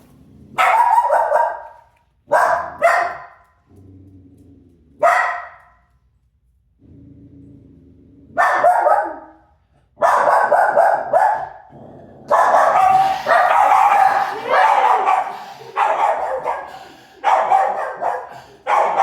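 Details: A dog known as a barking chaser gives sharp barks, singly and in quick pairs, then a dense, nearly continuous run of loud barking in the second half, with a soft low hum in the gaps.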